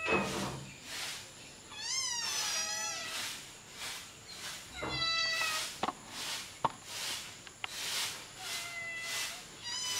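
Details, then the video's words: Kittens crying out as their mother cat nurses them and they compete for milk; a few clear arching mews stand out among repeated breathy, rushing bursts of noise, with sharp clicks here and there. "Cat Feeding Hungry Cute Kittens | Kittens fighting for breast milk"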